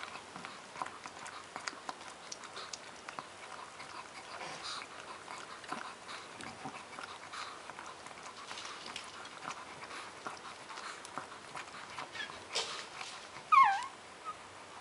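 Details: Shih Tzu puppies, twelve days old: steady soft rustling and shuffling, then near the end one loud, sharp squealing whimper with a wavering, bending pitch before the quiet shuffling resumes.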